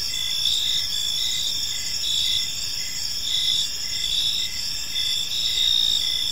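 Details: Park crickets at evening sing in an unbroken, piercing trill while a lower pulsed chirp repeats evenly about once a second, the chorus swelling slightly now and then.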